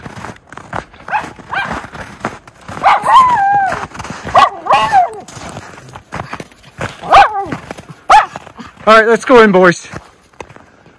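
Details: Miniature Schnauzer brothers Lucky and Levi romping through deep snow tunnel trails on January 22, 2023, in Aroostook County, Maine, after two snowy weeks; short high yapping barks with rich harmonics near the end, mixed with human voices talking.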